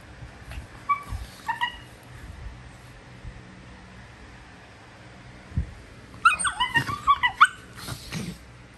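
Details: Prisca, a female Basenji playing the tough girl, starts with a few faint squeaks, then breaks into a rapid run of high, wobbling squeals and yips over the last three seconds.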